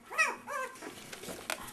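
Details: At their first feeding, Siberian Husky puppies aged two weeks let out two quick curved squeals in a row, followed by soft clicks and shuffling sounds.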